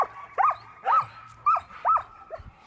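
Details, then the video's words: Dog barking, from a comparison of German Shepherd and Great Pyrenees barks: five short, arched, fairly high yelping barks about half a second apart, with a faint steady hum behind them. "Barking Furs Difference between GSD and GP"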